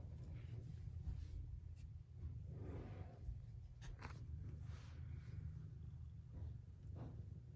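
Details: Desi the cat purring, recorded on October 19: a steady, low rumbling drone throughout, with faint scattered higher rustles above it.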